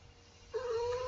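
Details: Seven-year-old female house cat, held indoors, joining in as Twinkle Twinkle Little Star is sung: one long, level, tonal meow sustained for over half a second, over a low constant background hum.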